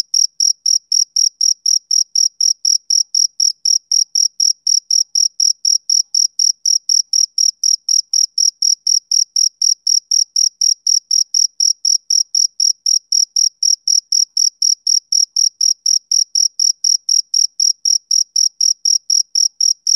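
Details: Steady summer-evening chorus of a male cricket: about eighty sharp, high chirps in succession at an unbroken four-per-second rhythm. The background is otherwise silent.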